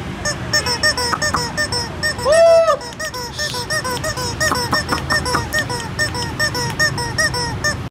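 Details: Four red-and-white Shiba Inu puppies aged two months, born to imported parents, whine and squeak almost continuously; one longer drawn-out whimper stands out midway among overlapping short cries, low background hum throughout.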